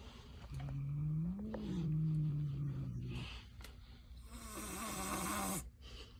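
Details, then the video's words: Angry cat making a low, rumbling growl that swells and holds for about three seconds. Later a harsh, breathy hiss bursts out over a low growl before cutting off sharply. "Angry Cat"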